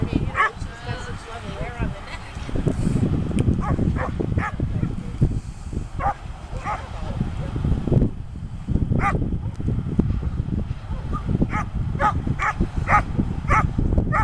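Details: Slash, a poodle on his second session on the protection field, barks in short sharp bursts repeated roughly every half second through the later part, over loud low rumbling wind or handling noise and a man's voice early on.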